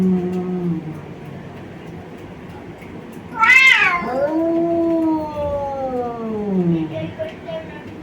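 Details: Two male brother cats from Bangladesh fighting, with low moaning harmonics at first, then a sudden loud screech at about three and a half seconds that slides into a long, drawn-out descending wail lasting several seconds.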